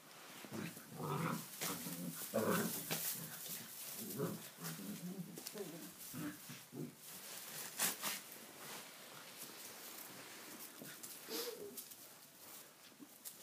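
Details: Six-week-old Tibetan Mastiff puppies playing wildly in a stable for the first time, wet weather outside; low, rumbling growls and grumbles come in bursts over the first half, with scuffling and rustling of play throughout.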